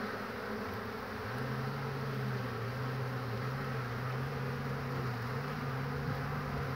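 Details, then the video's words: Honey bees at their hive on 22 March 2019 in spring, tired bees queuing and resting on the hive roof; a low, steady droning buzz that wavers gently in pitch and runs unbroken through the whole stretch over a faint background hum. "Pszczoły 22.03.2019"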